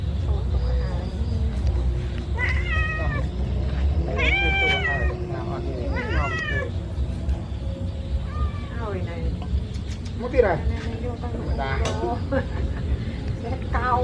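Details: Kitten at leisure, giving a series of short, rising-and-falling harmonic meows, several in quick succession, over steady low background noise, with a person talking in Khmer and music playing.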